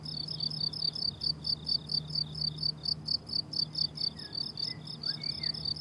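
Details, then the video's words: Summer-meadow crickets trilling high, steady chirps in quick succession, with a faint low hum early on and a few thin, distant bird whistles near the end. "Relaxing Cricket Sounds on a Summer Meadow"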